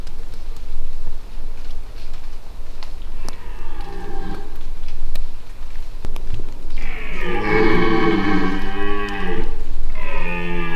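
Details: Dominant red deer stag bellowing during the rut in the Massif de l'Aigoual, 2024. He is wary but cannot scent the recordist. Faint low groans build into a loud, drawn-out harmonic roar lasting about three seconds, then a second roar begins.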